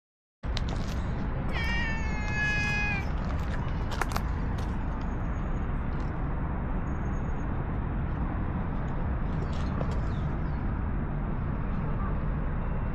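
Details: Stray cat in an Istanbul park, petted and then following to a bench to snuggle up, gives one drawn-out, steady meow of about a second and a half over a constant low rumble of city traffic, with a sharp click shortly after.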